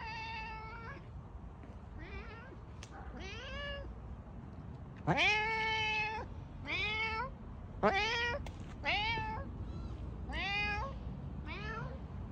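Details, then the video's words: Loud domestic cat meows, about ten calls in quick succession, short and long, many rising sharply at the start then holding steady, one strong drawn-out cry in the middle, with little background sound. "loud cat sounds"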